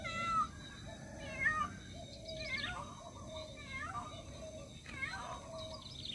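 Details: Cat searching for its missing baby with a run of about five quick, strained meows, some short and high, others sliding downward, closely spaced, over low background noise.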